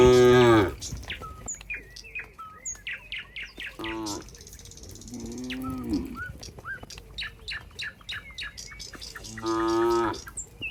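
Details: A herd of cows heading back to the pen as a group; short moos open and close the stretch, with a softer wavering moo mid-way and frequent bird chirps and twitters throughout.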